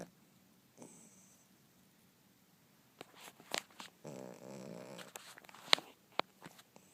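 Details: Couch-sleeping Yorkie snoring: a faint wheeze at first, then a sustained, vibrating snore about a second long, surrounded by several sharp clicks and light knocking sounds indoors.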